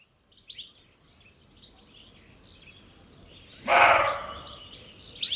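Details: An alarmed roe deer (Capreolus capreolus) buck gives one harsh, hoarse, dog-like bark in the evening at Jantar, with thin bird chirps in the background.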